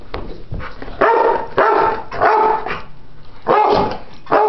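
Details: Play barking from two pit bulls, ten-year-old Chomper and ten-week-old puppy Stella, roughhousing rather than fighting. Loud rough barks arrive in four or five separated bursts about a second apart, each harsh and broad, with quieter scuffling between.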